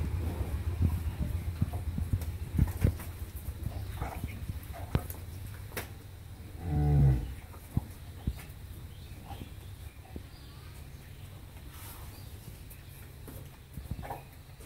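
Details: At a dairy farm in Pabna, Bangladesh, a Friesian cow in her second lactation gives a single short, deep moo midway through, surrounded by low humming noise and scattered clicks and knocks.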